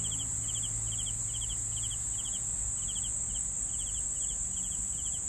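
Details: Cricket chirps repeat evenly, each a brief pulsed trill of a few clicks, about two per second, against a constant piercing high-pitched hum and soft low background noise.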